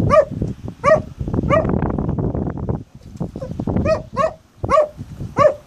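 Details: Malic the dog barking at rocks during a favourite game, April 2015: sharp arched barks in bursts, three early then a pause of lower rumbling noise, then four more barks spaced about half a second apart.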